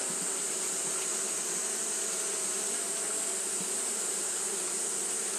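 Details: Brief stretch of Japanese honey bees fanning on a hot day: an even, droning buzz with low vibrating tones and a continuous high sizzling hiss, no pauses.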